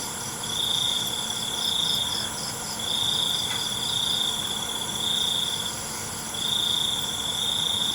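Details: Crickets at night trilling in long pulsing bouts of about a second and a half, separated by short pauses, over a steady high insect chorus and a constant faint low hum.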